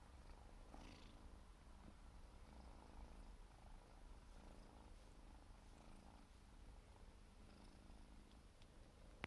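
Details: Grooming 4-month-old Siberian forest cat kitten gives a continuous low purr, rising and falling with each breath, accompanied by quiet licking noises and a sharp click at the very end.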